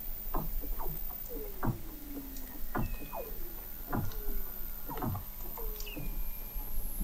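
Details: Weddell seals under the sea ice of McMurdo Sound, Antarctica, recorded in November 2017 by the McMurdo Oceanographic Observatory 21 m below the ice: many short downward-sweeping chirps and clicks, with longer gliding whistles sliding down in pitch.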